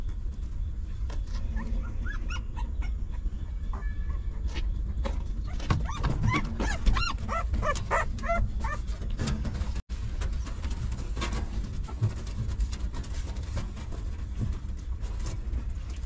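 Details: Newborn puppy of a stray mother dog whines while hungry at feeding time, with a cluster of high, wavering whimpers midway amid constant low-pitched rumble and shuffling sounds.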